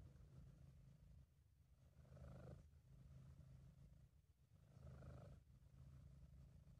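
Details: Sabu, a British Shorthair cat, purring contentedly; a deep, even rumble broken into two louder breath swells about three seconds apart with quieter stretches between, recorded by an amateur at home, no competing sounds.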